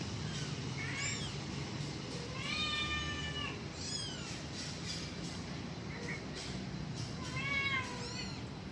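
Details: Kitten calling its mother: several thin, high meows, some rising then falling, scattered through the recording with gaps between, over a steady low background hiss.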